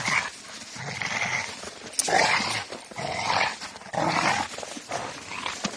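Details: A Rottweiler playing with a tyre gives rough, noisy growls in irregular bursts about every two seconds. A person's voice is heard nearby.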